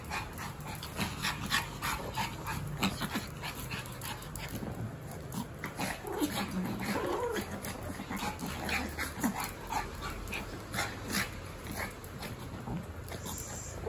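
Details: Pomeranian excitedly playing with a Boston Terrier indoors, refusing to stop: rapid, sharp, high yips and short barks in irregular bursts, roughly three per second, with brief whiny growling notes midway and steady low room hum.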